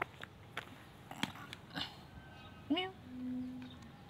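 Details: Cats and kittens living at a pagoda meow because they want food but are afraid of the person feeding them. A short rising harmonic meow is followed by a steady lower drawn-out tone, with scattered clicks and taps around.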